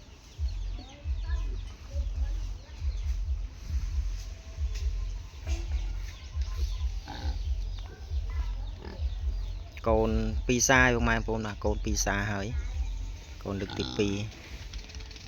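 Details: Wild boar cross piglets just over a month old, family-raised, filmed on 30 January 2026: low, soft grunts repeat steadily through the first ten seconds, then a man speaks loudly over them.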